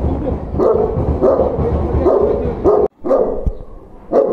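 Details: A dog barks at a stranger in a quick series of rough, mid-pitched barks, around seven in four seconds, with one abrupt break of silence and faint voices underneath.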